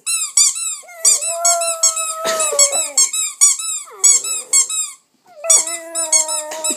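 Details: Two-month-old Staffordshire Bull Terrier puppy 'singing' indoors while someone plays with it using a toy: drawn-out wavering whines and howls, some rough and growly, over rapid high squeaks from the toy.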